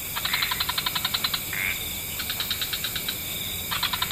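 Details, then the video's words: Wetland frog chorus at dusk with several species: rapid series of short clicking pulses in bursts, a brief rising squeak near the middle, then another pulsed burst at the end over a constant high hiss. "Frog Orchestra"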